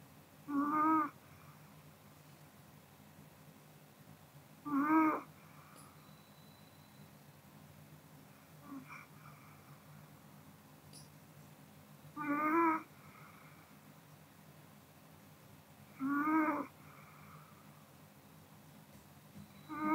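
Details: Kodama, a sleeping Pomeranian, snores indoors: short nasal, tonal breaths with a whistly, harmonic edge, each about half a second, coming roughly every four seconds with quiet room hush between them.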